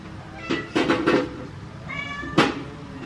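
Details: A kitten caught in a cardboard box with its mother cat, both meowing for human help to free it; a quick burst of four loud, harmonic-rich meows within three seconds.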